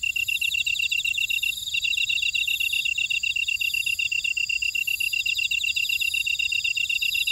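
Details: Grass insects singing in a buckwheat field at Ora-dong, Jeju City, on volcanic Jeju Island, South Korea: a dense, steady chorus of high, rapidly pulsing chirps, several callers layered at different pitches, with one brief break in the lowest trill.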